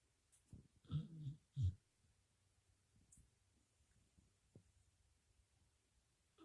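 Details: Lucy, a sleeping puppy, snoring: two low rumbling snorts close together near the start, then only soft, faint breathing in a quiet room.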